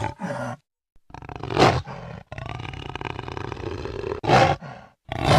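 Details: A jaguar gives a few harsh, gravelly roars, one drawn out over about two seconds, broken by abrupt silences.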